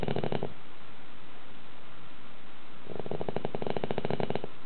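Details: Sleeping house dog giving deep, loud snores, said to rival a grown man's; one rattling snore ends at the start, then after a quiet gap of about two and a half seconds another pulsing, throaty snore builds.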